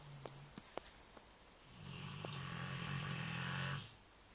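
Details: A big Rottweiler snores loudly with a long, low, rumbling inhalation carrying a breathy rasp; Rottweiler.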